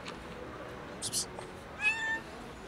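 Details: Tuxedo kitten crying out insistently, as if the world were ending: one short, bright meow near the end that rises and then falls, preceded by soft rustling and handling noises.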